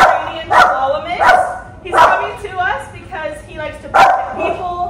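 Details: Pomeranian Chihuahua mix named Benjamin during training, giving sharp barks and yips spaced about every second, each with a bright harmonic burst, over a steady background murmur.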